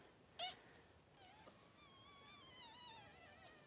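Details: Cavalier King Charles Spaniel indoors during the whelping of six puppies in two hours, mother Daisy delivering: a short sharp squeak, then a long, thin, wavering whine that quavers up and down over faint room noise.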